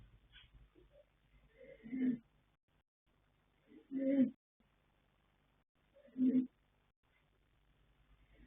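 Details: Yanta, a colt foal born 21 January 2026 (Fast Force × Pink Blossom), asleep and snoring in three steady, humming, nasal breaths spaced roughly two seconds apart, separated by near silence.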